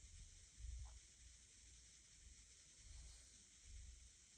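A sleeping pug gives soft, low rumbling snores in uneven breaths over a steady hiss.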